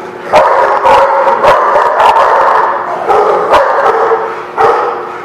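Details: Dogs barking, recorded on 23 January 2017: a steady harmonic din of overlapping barks with sharp louder bursts standing out about every second.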